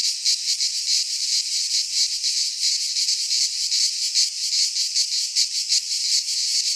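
A cicada gives a loud, continuous high-pitched buzz that pulses slightly throughout.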